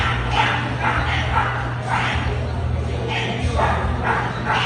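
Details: American Bully at an ABKC dog show, barking in short sharp bursts about twice a second. A steady low electrical hum and crowd chatter from the show hall run underneath.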